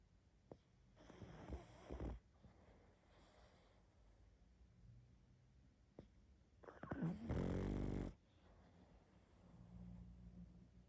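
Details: Sleeping pug producing loud snores, a moderate raspy snore near the start and a louder, longer grating one later, with soft snuffling breaths between in a quiet indoor setting.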